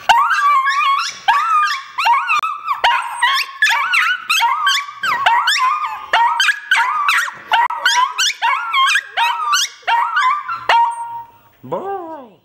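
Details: Chihuahuas singing together in a chorus of overlapping yipping howls that rise and waver, repeated rapidly for over ten seconds, then fading out with a final drawn-out wail.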